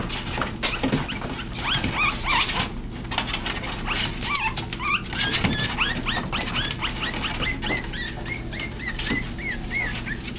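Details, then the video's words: Three teacup Yorkshire Terrier puppies playing and tackling each other after nursing, giving many high, thin squeaks and whimpers, some rising and falling, scattered throughout alongside rustling and bumping over a steady low hum. "Teacup Yorkie Puppies Playing"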